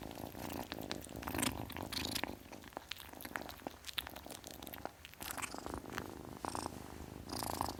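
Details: Kitten purring under frequent sharp clicks and rustling handling noises; the soft low rumble keeps going throughout.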